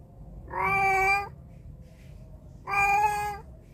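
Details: Domestic cat meowing, recorded on a phone microphone: two clear, harmonic-rich meows, each about two-thirds of a second long, separated by a pause of roughly a second and a half, over a low steady indoor hum.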